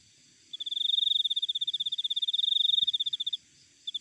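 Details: A cricket recorded outdoors in nature gives one sustained, rapidly pulsing high trill of nearly three seconds that swells slightly then stops, followed after a pause by the start of another burst; a faint low tap midway.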